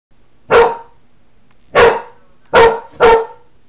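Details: Male Newfoundland dog indoors in July 2009, barking at his own reflection in a window while protecting his territory: four loud, sharp single barks, the last two close together, in a quiet room.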